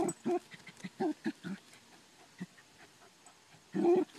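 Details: On a groundhog hunt at the farm, Ammo the Dachshund fires off a quick cluster of short barks, falls quiet amid faint rustling, then gives one louder bark at the end.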